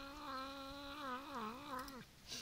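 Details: A pet cat growls indoors while playing tug of war over a chicken leg, a long wavering tonal moan rising and dipping for about two seconds before cutting off, with faint music and a person's voice in the background.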